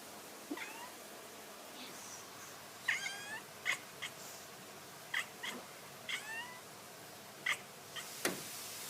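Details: Cat uttering weird short chirps and curving trills in quick pairs, repeated at irregular intervals through steady background hiss, with a sharp knock near the end.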